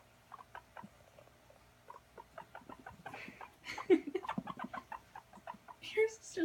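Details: Guinea pig at playtime, running around, giving quick, short, clucking pulses in uneven bursts, with a person speaking Italian partway through and near the end.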